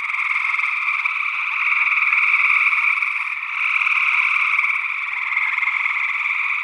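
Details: Chorus of gray tree frogs in Northwest Wisconsin, early June 2022, captured on paired condenser microphones; continuous overlapping buzzy trills that swell and ease slightly, possibly mixed with a second unidentified frog species.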